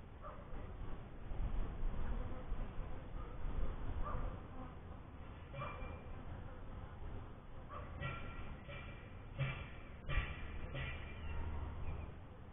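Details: Honey bees at a first hive make a dense, low droning hum throughout, rising and falling in loudness, with a few faint higher clicks and rustles toward the end.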